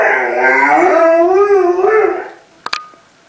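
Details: Indoor howl from a Malamute or Husky: a sustained, harmonic, gently wavering tone lasting over two seconds before fading, followed by a couple of sharp clicks.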